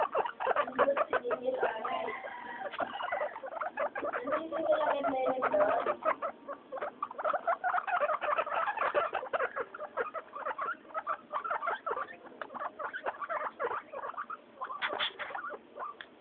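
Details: Pet guinea pigs Mayumi, Archie and Miyuki calling out at weekly floor time, a rapid stream of short squeaky chirps and chattering notes, with a louder rising squeal near the end.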